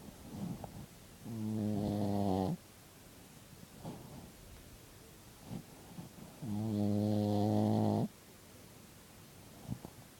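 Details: Pet dog asleep in a room, snoring loudly: two long, rough, droning snores roughly five seconds apart, each about one and a half seconds, with short breathy exhales and faint snuffles in between.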